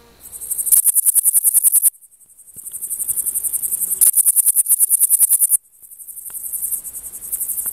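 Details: A male Frivaldszky's bush cricket (Pholidoptera frivaldskyi) sings in the sun in long bursts of rapid, high, dry buzzing chirps; Oleksandrivka, Kirovohrad Oblast, Ukraine, 5 July 2023.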